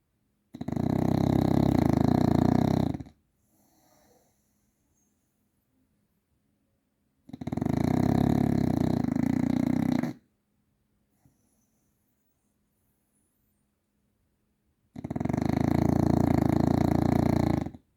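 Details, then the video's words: Deep, rattling snores from the bulldog Grizzly, three evenly spaced bursts of about two and a half seconds each, recurring every seven seconds or so, with near silence in between. "Snoring Bulldog"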